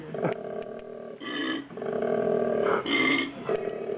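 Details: Koala making its odd cry while eating eucalyptus: a continuous, low, rasping, snoring drone that swells into louder harsh bursts near the middle and end.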